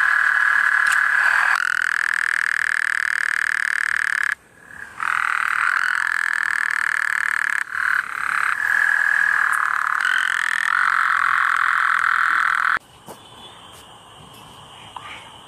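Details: At night a common tree frog gives long, steady, buzzy trills broken by short pauses, each burst starting abruptly at full volume, ending with a quieter stretch.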